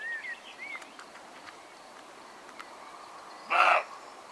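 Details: A roe deer with an injured left eye gives one short, hoarse, bark-like call after a few faint bird chirps.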